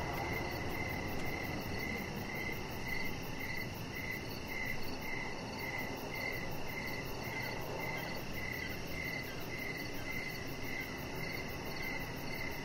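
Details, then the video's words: Outdoor evening chorus of crickets by a deck: bright, high chirps pulsing regularly about twice per second with a fainter upper echo, set against a dull continuous background rush. "Cricket Sounds"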